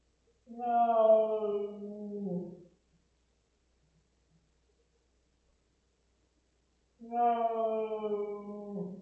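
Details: Cat Rosetta protests a veterinary spot-on parasite treatment with a long, low, wavering growl-like yowl, falling at its end; after several seconds of silence a second sustained moan begins.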